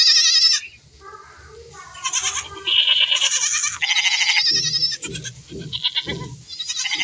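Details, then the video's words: Goats bleating in varied, overlapping high cries, some trembling and some steady, with softer lower grunting sounds underneath toward the end. "Goats are enjoying the life | Sound"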